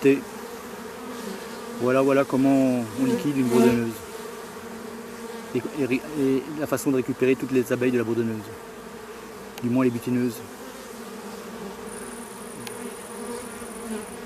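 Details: Laying-worker honey bees from a queenless drone-laying hive, shaken off their frames away from the apiary. Rising and falling buzzes of bees passing close sound between two and ten seconds over a continuous background hum.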